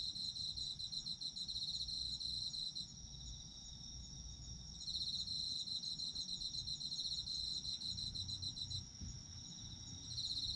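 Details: Autumn insects singing as ambience for sleep: bursts of rapid high pulsed trilling alternate with short lulls where only a steady thin buzz continues, the trilling resuming after each gap.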